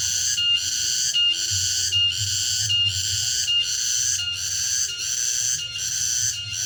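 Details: Shrill pulsating buzz of a cicada in the late afternoon in a remote area, each harsh ringing burst separated by a brief dip, about eight pulses in under seven seconds, faint low rumble behind.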